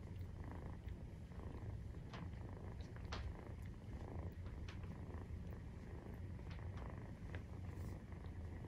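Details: Purr of a Maine Coon cat while nursing, kittens 43 days old; a continuous, deep, evenly pulsing rumble with occasional light ticks and rustling sounds.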